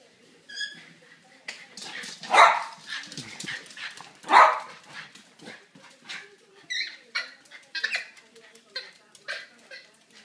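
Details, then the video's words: Two pet dogs, Rockie the boxer and Pumpkin the silkie terrier, chasing each other around the house over a stolen toy ball; scattered short barks and yips amid scuffling, footsteps and thumps, with a brief human voice. "Dogs playing follow the leader"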